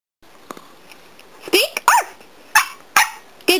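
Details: Young pet dog performing the "speak" trick on command, giving five sharp, high barks roughly every half second after a quiet start. The owner says "good boy" and "quiet".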